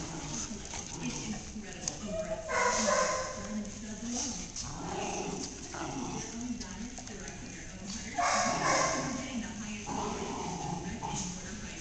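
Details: Two dogs, a black lab/beagle mix and a Welsh Corgi puppy, playing together on their first day of daycare. Bursts of short yips and whimpers come amid steady human chatter and room noise.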